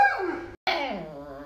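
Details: Alaskan Malamute named Lolo, a pet dog kept indoors, making two whiny, harmonic vocal sweeps that slide downward, split by a brief silent break, while the owner teases it for being fierce.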